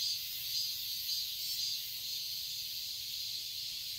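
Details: Cicadas in a summer garden in Seoul, Korea: a dense, continuous high buzzing hiss with faint pulses about every half second, steady throughout.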